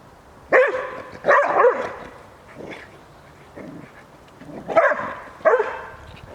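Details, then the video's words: Šarplaninac dog named Bubu teasing a wolf: deep, loud barks, a pair early on and another pair near the end, separated by quieter, softer vocal sounds, with background hiss throughout. "Sarplaninac Bubu,zeza Vucijaka!!!"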